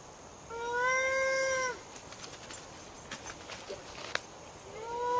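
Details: Ring-tailed lemur contact call used for playback: one drawn-out, meow-like harmonic call of just over a second with a slight downward bend at its end, then quiet hiss with faint clicks, and a second call beginning at the end.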